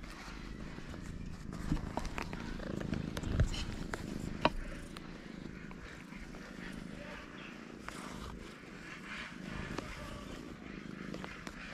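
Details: Starving street cats climbing on a person, with a low rumbling purr running through the recording, broken by scattered clicks and soft handling noises.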